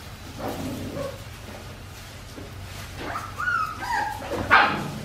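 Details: Australian Shepherd puppies, 4 weeks 5 days old, from Winnie's litter, whining indoors: a few quiet early squeaks, then a run of high, wavering tonal whimpers in the last two seconds that rise and bend, with a sharp yip at the end.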